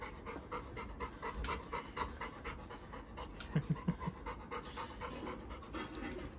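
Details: Labrador Retriever reunited with his elder brother pants in fast rhythmic breathy puffs throughout, with a few sharper louder bursts midway and faint background noise.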